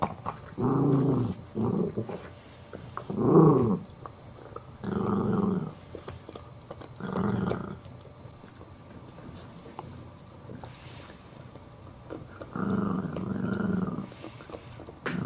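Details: Chihuahua puppy trying to take a bone from a larger adult dog that will not give it up, indoors. Six bursts of deep rumbling growls, each about a second long, with short quiet gaps between them.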